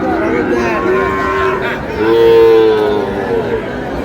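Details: Sahiwal bull calf at a busy cattle market in Noakhali on 8 May, bought by a farmer; low, drawn-out moos, a softer one early then a louder sustained moo around two seconds, with market chatter behind.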